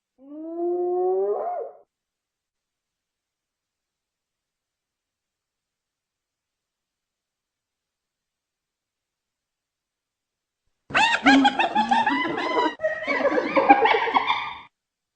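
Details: Hyena giving a single rising, harmonic whoop, then a long silence, followed by about four seconds of dense, harsh chattering and cackling bursts.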